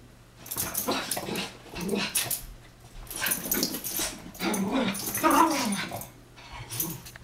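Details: Two male Chihuahuas wrestling and chasing in play; rough, noisy growls and snarls come in irregular bursts over scuffling and thumping sounds, with a brief higher whine near the middle.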